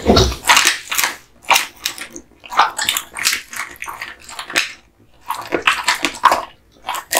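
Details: American Bully named Kotetsu, a male born 8 August 2016, eating duck spine jerky given as a present; wet, crunchy bites in irregular bursts with short quiet gaps between them.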